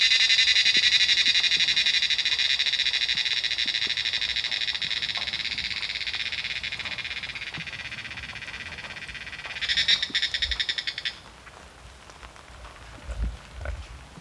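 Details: A Himalayan monsoon cicada chorus from the trees starts as a loud, pulsing high buzz, slowly fades, surges briefly around ten seconds, then stops, leaving near quiet with a few soft low thumps.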